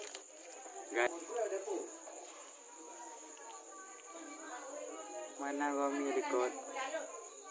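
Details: Goat (Capra hircus), bleat.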